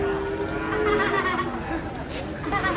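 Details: A cow coming down from a truck lets out a short, level, droning moo beneath excited shouting people and background engine noise.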